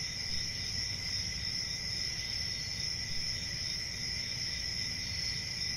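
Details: Crickets keep up an unbroken shrill trill, steady and even in loudness, with soft low background noise beneath.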